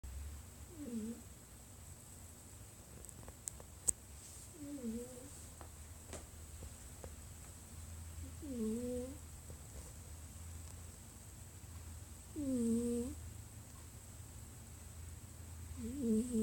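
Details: A domestic cat snoring indoors: squeaky, whistled tones that dip and rise on each breath, recurring about every four seconds over a low steady hum, with a few faint clicks.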